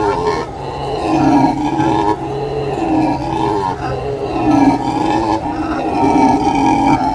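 Howler monkeys give a deep, guttural roaring howl that swells and fades in long, continuous waves.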